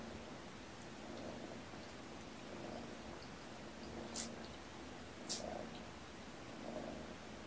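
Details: Mother cat comfort nursing and bathing her kittens, born November 22, at a shelter; soft continuous purring with rhythmic swells about every one and a half seconds, plus a few faint clicks.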